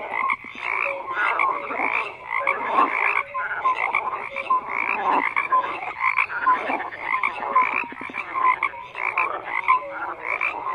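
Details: Many frogs croak together in a constant layered din. Rough pulsed croaks overlap densely and swell and dip slightly in loudness, with short clear notes popping out now and then.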